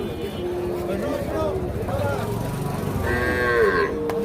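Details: Calves at Ambari cattle market, a livestock market, on 28/3/25: low, drawn-out moos with wavering pitch, one after another, under constant crowd chatter, bargaining voices and background music.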